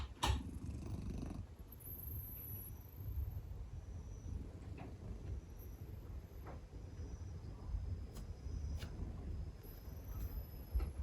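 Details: Sleeping Scottish Fold cat snoring very loudly; a deep, continuous low rumbling throughout, with a sharp click near the start and faint high tones drifting above.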